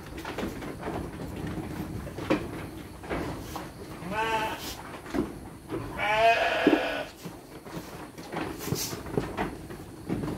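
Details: Domestic sheep at feeding time, handed dry fodder with children present; two wavering bleats stand out mid-recording, the second longer and louder, against soft talking and shuffling noises.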